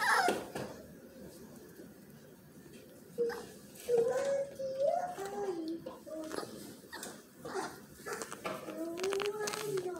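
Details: Mini Aussie pups whimpering in a small room: thin, wavering whines that slide up and down, several overlapping, with human voices at times alongside.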